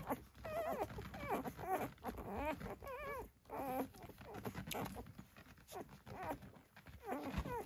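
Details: Newborn Dalmatian litter, six days old, at Gateway Farm in Acampo, California: several puppies give wavering, rising-and-falling whimpers in quick succession, short squeaky cries broken by brief pauses, over low shuffling sounds.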